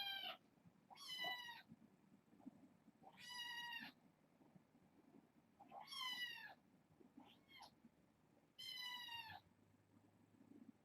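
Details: Kittens from a six-kitten litter, four female and two male, fostered indoors and meowing at bedtime: five loud, clear mews spaced a few seconds apart, each bright and slightly falling, with faint rustling between.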